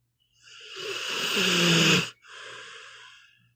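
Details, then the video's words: A dozing pit bull called Meatball gives a long rasping snore with a low humming tone, then a shorter airy exhale. "One hour of a snoring dog"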